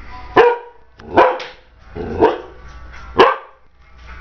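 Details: Bullador puppy barking at a light indoors: four loud, harsh barks, spaced roughly one second apart, each a sharp onset with a rich harmonic stack that quickly fades, with a short gap before the last bark.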